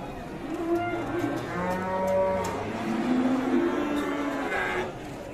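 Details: Fierce cattle lowing: long, steady harmonic moos, some low and droning, others higher and drawn out, with a faint noisy background.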